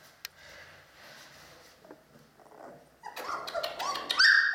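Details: Dogo Canario puppies from a litter of Gorinka and Butze, 11 October 2015; after about three seconds of quiet low rustling, a burst of high, thin whining squeals and short yelps fills the final second and a half.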